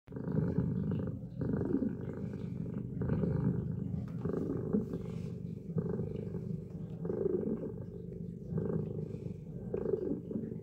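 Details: Domestic cat purring while kneading a faux rabbit fur blanket, settling until comfortable enough to sleep; steady low rumbling purr in rhythmic in-and-out phases, each breath cycle roughly every one and a half seconds, close and continuous.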